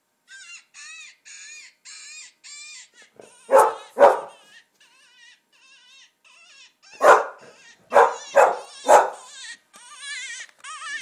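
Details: Finnegan, an English Springer Spaniel, barks at coyote hunting calls playing from a computer; wavering, whining electronic coyote cries fill the start, then two sharp barks, then a burst of four quick barks amid more cries.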